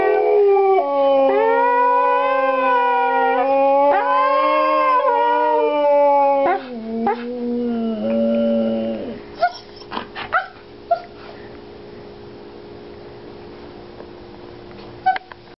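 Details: Two Siberian Huskies lying down howl together in long, wavering, rising and falling tones.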